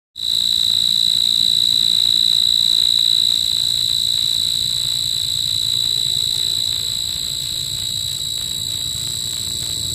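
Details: Insect calling at night: a steady, shrill, high-pitched ringing trill held without break, with a faint pulsing rhythm, over a quiet low background.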